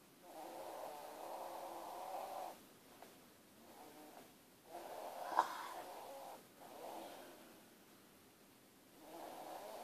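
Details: A sleeping pet dog snoring, its owner likening the roar to an old steam train: long, rough, breathy drones that swell and fade in slow cycles of about two to three seconds, with quiet gaps between breaths.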